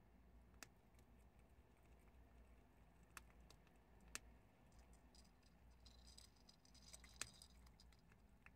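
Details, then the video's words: Chickpeas being chewed by prairie dogs produce sporadic, fairly soft crunching clicks with a brief rattly burst of small snaps late on. A low hiss fills the gaps between bites. "프레리독 병아리콩 씹는소리를"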